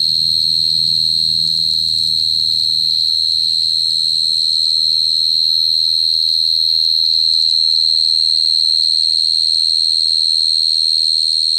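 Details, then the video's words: A cricket trills nonstop, a bright, thin, even tone with a fainter higher overtone, over a dull low hum. "Cricket sound effect(cricket sound)"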